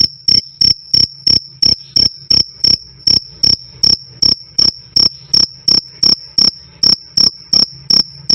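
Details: Cricket song, loud and clear: a high, metallic chirp repeated about every third of a second, roughly two dozen crisp pulses in eight seconds, each clicking sharply on and off over a faint low drone.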